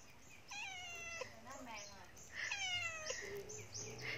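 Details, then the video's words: Pet cat that climbed up somewhere and cannot get down, giving two drawn-out, harmonic meows that rise then fall, each about half a second long and two seconds apart, with a woman's voice speaking softly afterward. "Meong Tersesat"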